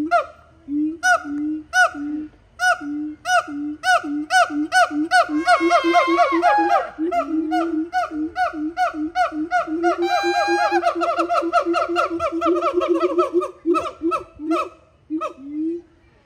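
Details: Siamangs (Symphalangus syndactylus) call with loud, honking whoops that repeat steadily and swell into rising, overlapping barks.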